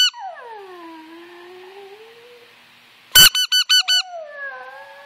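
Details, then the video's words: Brooke, a Yorkshire Terrier that howls at squeakers and whistles, gives a long descending howl, then a rapid series of five shrill squeaker blasts, after which she resumes howling. "Howling yorkie"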